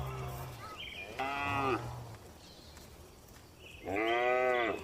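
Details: Tame cattle relaxing in a spacious farm barn, lowing in two drawn-out moos, each about half a second to a second long with rich harmonics, separated by a quieter gap with low barn rumble.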